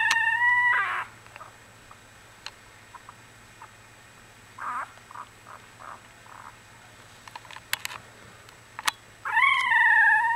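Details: One-week-old Australian Bulldog puppies from a single litter. A loud, tonal wail opens the recording. Soft grunts and small squeaks follow over a quiet stretch, and another long rising-and-falling cry closes it.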